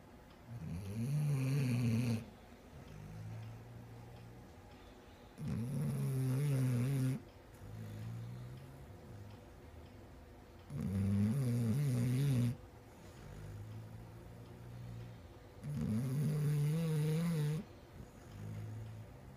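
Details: A female Basset Hound snores deeply in a slow, steady rhythm, long low rattling rumbling breaths, with softer exhaled snuffles filling the pauses between.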